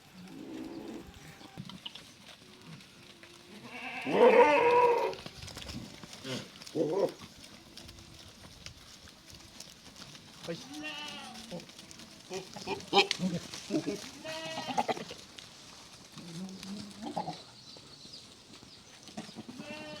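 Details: Beetal goats on a farm in Erenahalli village, Bangalore rural, Karnataka, give a scattered series of quavering bleats of varied pitch, including a loud harsh outburst early on, amid general farmyard clatter and occasional voices.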